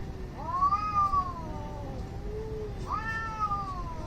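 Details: Angry cats in a fight, filmed in India, making weird noises: two drawn-out harmonic yowls that rise and then slowly fall, the second starting near three seconds, over a steady low background hum.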